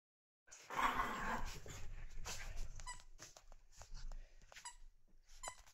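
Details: Puppies playing together indoors give high squeaky whimpers, one loud drawn-out squeal near the start followed by short scattered yelps and squeaks over soft shuffling and thumping noise.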